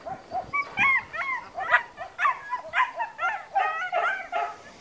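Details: Trained long-haired German Shepherd on guard duty at a training school in Spata, Greece, barking in a rapid series of sharp, yelping barks, about two per second, steady throughout with no other clear sounds.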